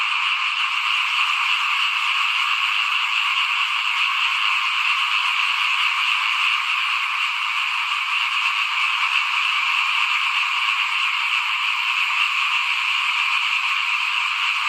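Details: Evening-like frog chorus near a house at rice sowing time in 2021: countless overlapping rattling croaks blend into one continuous, high, pulsing drone of constant loudness.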